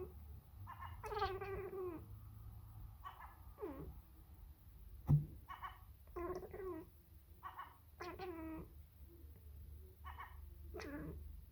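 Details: Sacred Birman cat talking to a seagull, a rapid run of short, varied harmonic meows and chirps, some falling in pitch, spaced about a second apart over a low steady hum.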